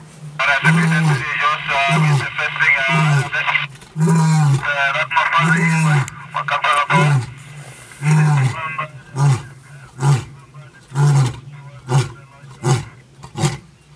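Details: Wild male lion roaring in the morning on a game drive in South Africa: deep, moaning roars give way to a long run of shorter grunts that speed up and fade, with a man's voice early on.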